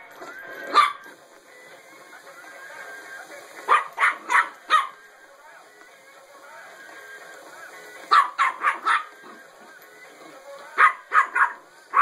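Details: A friend's puppy reacts to a singing penguin toy with short bursts of three to four quick barks, separated by pauses of several seconds, while the toy's music plays steadily underneath.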